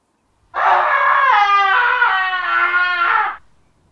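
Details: Alpaca screaming: one loud, harsh, wavering cry of about three seconds, strongly harmonic and nasal, starting abruptly and holding a fairly level, slightly bending pitch before cutting off, with silence around it.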